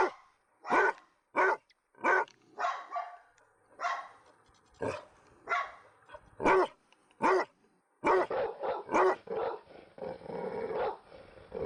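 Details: Dog barking in sharp, clipped bursts, some spaced and some rapid, ending in a dense overlapping run of barks and growl-like noise from more than one dog.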